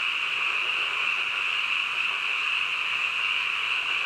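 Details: A midnight frog chorus: many callers blend into a constant shrill, buzzing wall of sound at even loudness throughout, with no separate calls or pauses.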